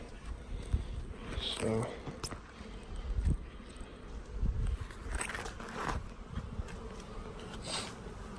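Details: Honey bees being installed from a package into hives: brief close buzzing passes of flying bees, a low droning hum rising and fading, over rustling handling noise, footsteps and a faint voice.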